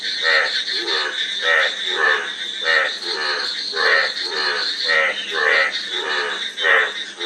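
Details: Frog croaking: rattling, pulsed croaks repeat at a moderate, slightly uneven pace, roughly one a second, over a continuous high hiss.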